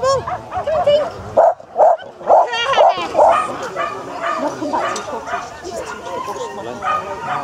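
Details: Japanese Spitz at the annual Spitz in the Park agility event between Tewkesbury and Evesham, July 2015; a run of sharp, high barks about twice a second, then fading under steady speech and crowd chatter.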